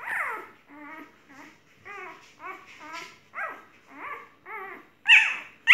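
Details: Golden retriever whining in a small room: a series of brief wavering whimpers repeated almost twice a second, ending in a sharper, louder high yelp.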